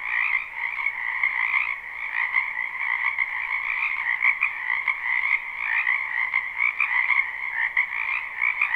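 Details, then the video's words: A crowd of frogs croaking in a wetland during spring makes a continuous, shimmering chorus of rapid trills that never pauses, with gentle surges in volume throughout. "Ambient Noise for Sleep Frogs"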